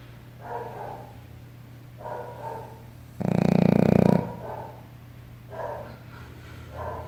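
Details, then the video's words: Shih Tzu in deep sleep, snoring with gentle rhythmic wheezy rasps about every one and a half seconds, one much louder rough snort in the middle, steady low background hum. "Cachorro Shih Tzu Roncando!!!"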